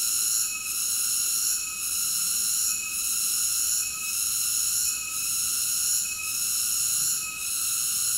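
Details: High, droning cicada song with banded buzzy tones, rising and falling in steady pulses a little over once per second, no other noises.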